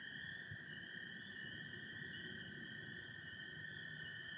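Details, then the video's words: Spring peepers and American toads in Michigan on a spring night; a dense, continuous shrill chorus forms two sustained pitched bands, one slightly wavering, above a quiet low background. "Sounds of spring peepers and american toads"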